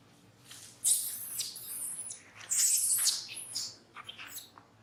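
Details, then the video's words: A monkey at Angkor Wat Park cries while another monkey disciplines it. Two loud, harsh, very high screeching bursts, each lasting about a second, with short fainter squeaks trailing after. "Sound Cry From Brady Under Monkey Rose Discipline"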